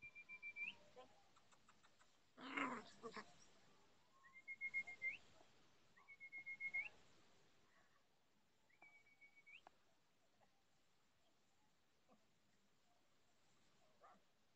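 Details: Chocolate Labrador Retriever puppies, 44 days old, at socialization play in Olivares, Sevilla, in June 2015: thin, high whimpers that rise at the end, repeated every couple of seconds, with a louder burst of noise early on.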